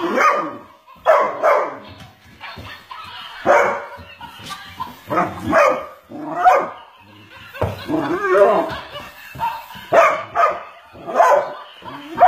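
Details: Weimaraner named Macy playing with a toy monkey, giving short, sharp barks in bursts about every second or two across the clip, with a person's voice urging her on in between.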